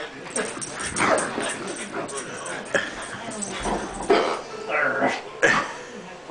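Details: Dozer, a French Bulldog, gives short whining cries with rising, wavering tones, scattered through the clip and loudest toward the end, while people talk nearby.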